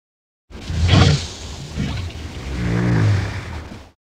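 A walrus gives a deep, breathy roar followed by a low, droning bellow.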